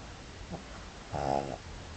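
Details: Pug asleep, giving a single short snore: one buzzy, harmonic rasp lasting under half a second, preceded by a faint soft breath, in a quiet room.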